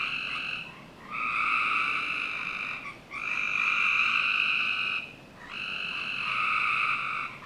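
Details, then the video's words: Summer-night frog chorus from a Northern Virginia backyard: three long buzzy trills, each lasting about two seconds, swell and fade with brief dips between them. "Frog Night 1"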